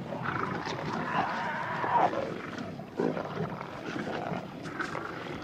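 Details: African lions squabbling at night over a freshly opened wildebeest carcass. Low, rough growls run almost continuously, with a sharper snarl near two seconds and another burst at three seconds over steady rustling.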